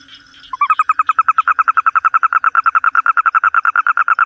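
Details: A toad gives a loud, steady trill that begins after half a second: rapid, evenly spaced pulses, about eight each second, holding one mid pitch throughout, over a faint chorus of distant callers.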